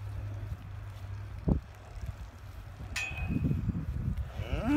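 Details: Galloway bulls being moved to another meadow on a farm: a low, steady moo at the start, then a rougher, deep lowing later, with a brief higher squeak and outdoor rumble.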